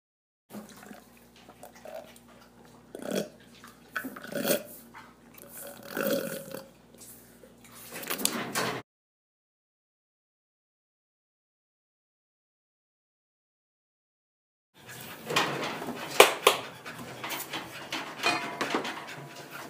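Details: Chimpanzees at a sanctuary at breakfast time, giving bursts of grunting and hooting calls mixed with clatter. After a silent gap, a denser, noisier stretch of calls follows.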